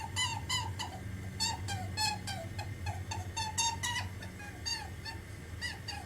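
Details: A rabbit grumbles or cries, possibly from hunger, giving short, high, nasal squeaks in quick irregular bursts over a low indoor hum.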